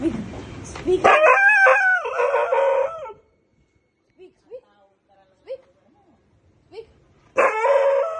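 A Siberian Husky gives a drawn-out, wavering howl with rising and falling pitch, answering a person's command.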